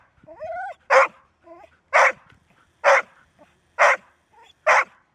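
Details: Golden Retriever barking, a dog said to bark only when it must: five loud, even barks about one second apart, with faint whining tonal whimpers between them.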